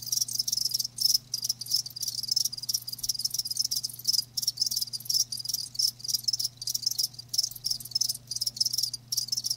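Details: Live crickets chirping as a natural-sound recording: dense high-pitched trills in rapid bursts with brief gaps, a continuous shimmering chorus, and a steady low hum beneath.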